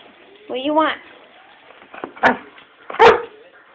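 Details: Stella, a dog being dogsat indoors, barks because she knows a toy sits on a bookshelf out of her reach: a drawn-out tonal yelp, then two sharp, loud barks about a second apart, with a person talking nearby.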